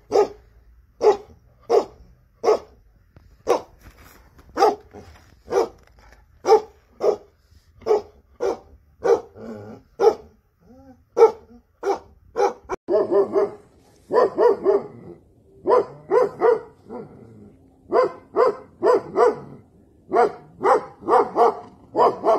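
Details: Rare Tibetan Mastiff barking in a long series of deep, booming single barks, roughly two per second, growing denser and more overlapping in the second half, with brief human exclamations nearby.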